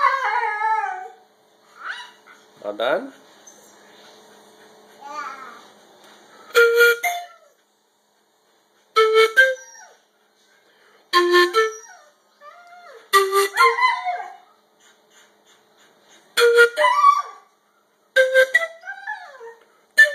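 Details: A female dog, kept about nine years, howls in wavering, rising and falling notes, singing along as her owner plays an instrument, with bursts every couple of seconds.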